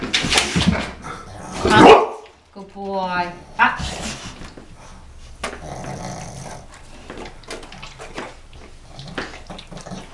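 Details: Dog called Mama Gucci, told to sit and speak while being offered steak indoors, lets out one loud bark, then a short harmonic whine-like call, with people talking and giving commands around it.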